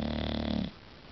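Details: English bulldog snoring while asleep indoors: a low, rough, buzzing snore lasting under a second, fading into quiet room noise, with a person speaking softly nearby.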